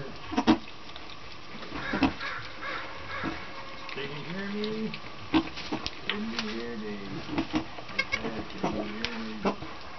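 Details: Miniature silky fainting goat, a first-time mother giving birth to three kids; several short wavering bleats around the middle and end, with people talking and rustling throughout.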